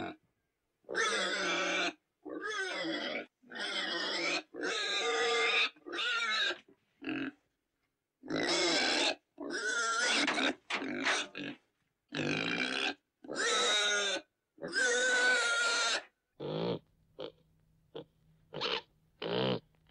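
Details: Pig squealing loudly in separate drawn-out, wavering harmonic cries, each about half a second to a second long, separated by silent gaps; shorter, fainter squeaks close the sequence.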